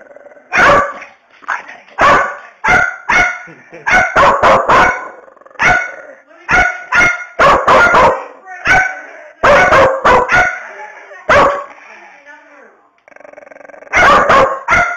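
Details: Angry Bedlington Terrier barking: loud, sharp barks fired in rapid bursts of two to four, repeated throughout, with a short quiet pause before a final cluster.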